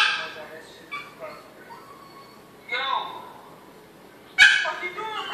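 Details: Pet Yorkie Diesel in Maryland, kept behind a baby gate, cries to get to his big Pitbull sister Jazmin. Squealing whines and brief yips rise and fall, followed by one loud bark and a trailing whimper.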